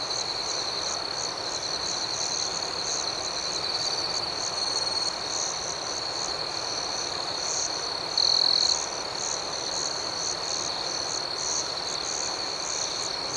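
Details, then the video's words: Crickets at night in a calm outdoor setting: a dense, unbroken high-pitched trill holds steady throughout, layered with faint rapid pulsing even higher, over a constant soft hiss of nighttime ambience with no other clear sounds. "Soothing Cricket Sounds"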